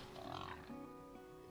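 A pig gives a short nasal grunt, then a lower second grunt, over soft background music.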